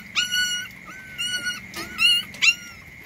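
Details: Puppy sleeping outside while it rains, giving high, thin whining whimpers in four short bursts, each slightly rising then sliding down, over a steady shrill background hum.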